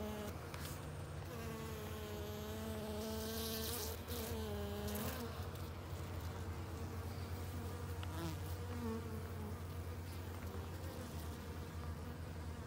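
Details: Swarm of honey bees confronting a bald-faced hornet; a dense buzz whose tones rise and dip in pitch, swelling around four to five seconds, then a steadier drone continues over low hum.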